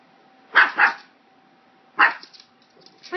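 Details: Pug startled by a hair clip gives a quick double bark, then another bark a second later and a short rising yelp at the end, with a faint hum beneath.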